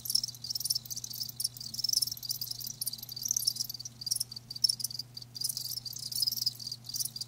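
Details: Quieter passage of live crickets: soft, high trilled chirping in uneven bursts with a few brighter individual notes standing out, and a low hum in the background.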